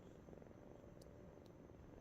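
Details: A young stray kitten, roughly three to four weeks old, keen for attention, gives a continuous low purr with a faintly pulsing texture, and two brief high clicks break in midway.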